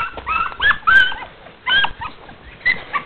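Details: Dogs running, giving a string of short high whines and yips with small rising and falling pitch bends, separated by brief pauses over about three seconds.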